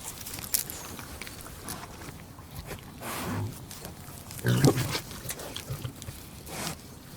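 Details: Pig eating, with crackling chewing and a couple of short low grunts around the middle of the passage.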